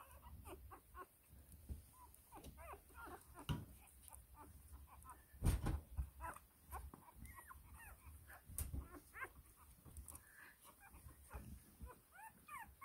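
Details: First-litter whippet puppies squeak and whimper repeatedly in thin, rising little cries over a noisy background of rustling and handling thumps.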